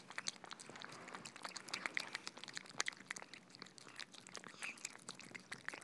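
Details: Several cats feeding on soft food in a small room, moist lapping and chewing with rapid crisp clicks and smacks, continuing steadily throughout.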